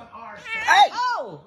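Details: Kitten giving loud, sharp meows indoors, two arched cries that rise then fall, the first strong and piercing, the second shorter and sliding down at the close.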